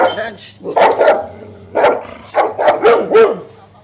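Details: Saint Bernards play fighting, trading rough, throaty barks and grumbling growls in uneven bursts, with human voices mixed in near the start and the bursts coming closer together toward the end.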